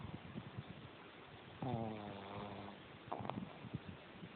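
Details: Jemma, a pug, sleeping with her tongue out and eyes open, snoring: one drawn-out, buzzy, harmonic snore lasting about a second in mid-clip, followed by short snuffling snorts, over a quiet, faintly hissing background.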